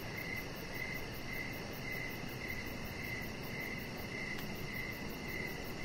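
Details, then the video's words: Crickets calling in the evening outside on a deck: crisp high chirps about twice a second, with a faint brief click near the end and a constant hiss underneath. "3 Hours Of Chihuahua Puppy Laying On Deck with Cricket Sounds"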